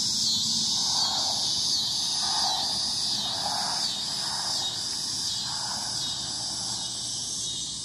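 A cicada gives a loud, steady, high-pitched buzzing drone that never lets up.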